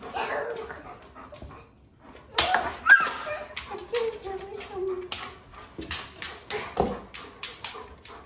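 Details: German Shepherd Dog named Charlie playing with bubbles in a kitchen, giving high whining and yelping tones that rise and fall, broken by sharp clatters and bursts of noise, with a person's voice now and then.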